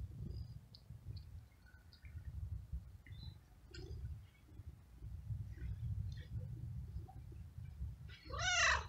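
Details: Stray male cat in heat, cared for by a feeder and excited when petted, purrs steadily in a low rumble with faint clicks, then ends with one loud harmonic meow that rises and falls.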